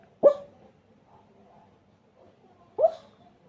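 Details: Sleepy pug torn between barking and snoring lets out two short, muffled woofs about two and a half seconds apart, with quiet breathing in between.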